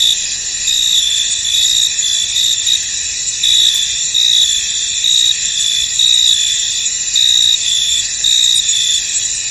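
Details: Crickets chirp in a field under mist: a sustained high-pitched chorus with repeated brief surges in loudness throughout, and no other clear sounds.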